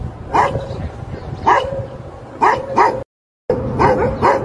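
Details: A Labrador retriever gives six short, punchy barks, spaced singly and in close pairs, broken by a brief moment of total silence partway through, with a faint constant hum underneath.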